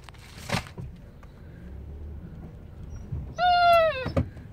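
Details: Female pet dog Maggie, excited by squirrels, gives one short, clear, high whine that drops at its end, after a quiet stretch with a thump and faint background hum.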